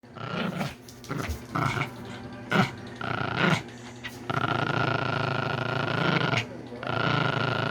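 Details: Sleeping male Pomeranian dog born October 2019, snoring indoors: rough, noisy rasping breaths in short bursts, then one long sustained buzzy snore lasting about two seconds with a steady whining tone running through it.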